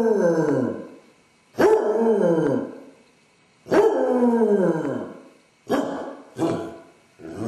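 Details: Separation anxiety in a male basset hound home alone, caught by a camera set up in the house: a run of mournful howls, each starting strong and gliding down over about a second, followed by shorter, clipped yowls.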